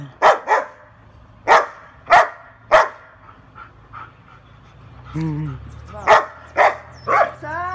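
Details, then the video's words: A female German Shepherd gives deep, forceful barks in short bursts, with a person's voice briefly heard. "Cachorra Pastor Alemão Igual o Hulk Latindo"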